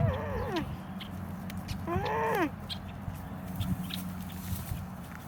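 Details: A cute alpaca making noises: two short, tonal, whining calls with rich harmonics, the first sliding downward, the second rising then falling about two seconds later, followed by quiet with a low steady background hum.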